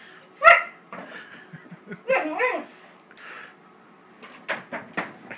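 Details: Wallace, a 13-week-old Great Dane puppy, very upset and attacking a paper bag: one sharp, ringing bark near the start, followed by softer short yips and grumbling noises with rustling in between.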